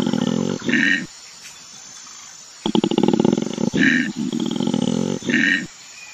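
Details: Australian koala bellowing in its natural habitat, a low throaty drone broken by ratcheting pulsed intakes, two bouts split by a short near-silent gap.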